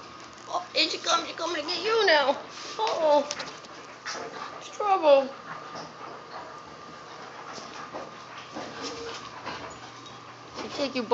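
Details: Siberian Huskies Free Four and Vera playing with a puppy give high, sliding whining calls that dip and fall in pitch, in short bursts a few seconds apart, mixed with a person's chatter and soft handling noises.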